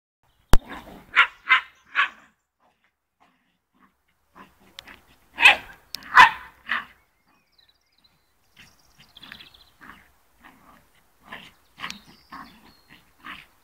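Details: Fox Terrier playing football, giving sharp barks in quick clusters: three near the start, a louder double bark midway, then a run of softer, shorter yaps and huffs toward the end.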